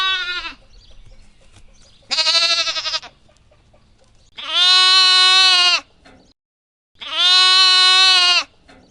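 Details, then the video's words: Lamb bleating: four loud, steady, harmonically rich bleats, one cut short at the start and others near two, four and a half and seven seconds. The later ones are longer, nearly a second and a half, with a slight waver. Background quiet. "What does a lamb sound like? | Real lamb sound"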